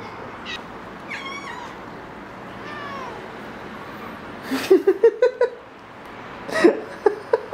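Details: Domestic cat indoors with foxtail grass, giving two soft, drawn-out meows with a wavering, slightly falling pitch early on, then bursts of short, rapid, clipped chirping pulses later, over a steady low background hiss.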